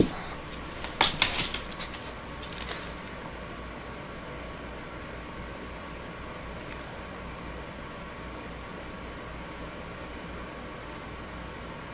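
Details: A few clattering knocks early on, then quiet indoor room hum with no animal sounds.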